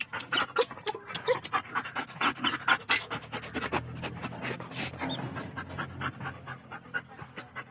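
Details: German Shepherd dog at home panting quickly and unevenly, breathy bursts close to the microphone, with a thin whistle-like tone briefly in the background and a person urging it not to jump down.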